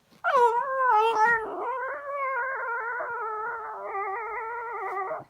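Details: French Bulldog, a pet dog, complaining after his toy goes under the sofa; one sustained, wavering, howl-like whine lasting about five seconds, starting with a few yelps.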